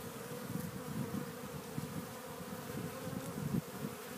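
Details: Honey bees at a Warre hive entrance in spring, April 12th, bringing in loads of pollen; a steady low droning buzz of many bees fills the recording with small swells and no other clear sounds.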